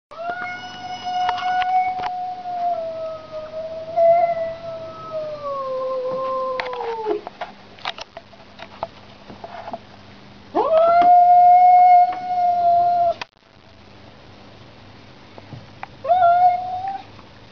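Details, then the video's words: House cat meeting a street cat: a long, wavering, mid-pitched yowl drifts slowly downward for about seven seconds. A louder, steadier yowl follows around ten seconds, then a brief rising wail near the end. "home cat vs street cat"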